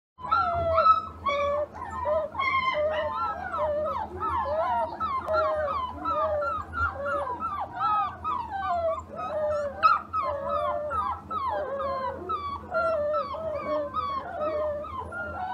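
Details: Several orphaned puppies crying together in the morning, a dense chorus of high, wavering whines and yelps that bend up and down, overlapping continuously with steady low hum beneath.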